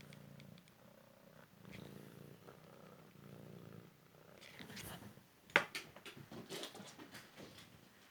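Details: Cymric cat, a young male rescued from the street after a car crash, purring indoors during a game of fetch; low steady rumbling purr, then scattered rustling and tapping of paper.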